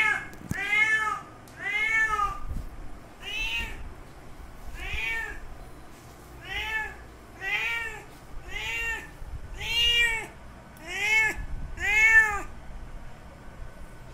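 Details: Ten loud, evenly spaced meows from a male cat calling a female in heat, each a harmonic arch rising and falling, repeated roughly every one and a half seconds in a quiet setting.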